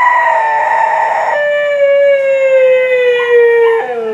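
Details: Beatrice the Siberian Husky opens with a higher, rough howl, then drops into a long pure sustained note that drifts slowly lower before bending down at the end.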